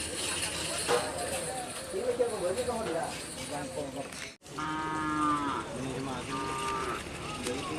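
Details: Madura cattle at karapan sapi bull race training in Pamekasan, Madura, Indonesia; a loud drawn-out moo with a clear harmonic stack in the second half, after a stretch of crowd noise and talk.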